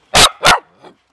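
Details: Family pet Beagle or Dachshund playing in water gives two loud, sharp barks in quick succession, then a faint short yelp.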